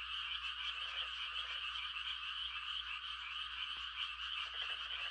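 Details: A countryside frog chorus at night, many frogs mating-calling together in a steady, shimmering wall of rapid high trills that never pauses. A single soft click stands out midway.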